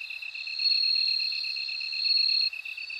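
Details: Bell cricket song: a high, steady ringing trill sits above a lower, evenly pulsed chirping line. The sound swells after the first half second and drops off sharply near the end.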